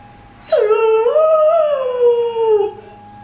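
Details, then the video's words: Pet dog howling along with a weekly tornado siren test, treating the siren like another howling dog; one long, loud, wavering howl sliding up then slowly falling over about two seconds, with a faint steady tone underneath. "Dog v. Tornado Siren"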